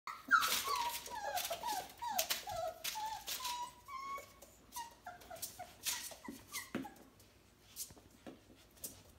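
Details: F1B Bernedoodle mother with her four-week-old puppies: rapid high squeaky whimpers and whines, two to three a second, some rising, some falling, with clicking and rustling noises throughout.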